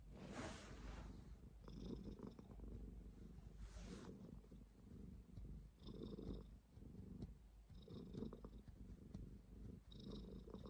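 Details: Cat purring in a deep, vibrating rumble, pulsing in breath-length waves roughly every two seconds; a couple of brief rustling noises break in early on.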